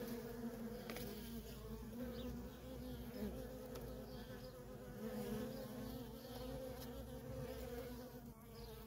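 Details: Constant buzzing of worker honey bees coming and going at a feral colony, a dense, even drone with a bright humming band that swells gently as individual bees fly close, a few faint clicks over it.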